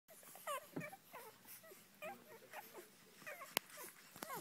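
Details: Five-day-old Irish Red Setter pups feeding together with their mother, giving short high squeaks and whimpers that rise and fall in pitch, scattered every half second or so, with one sharp click.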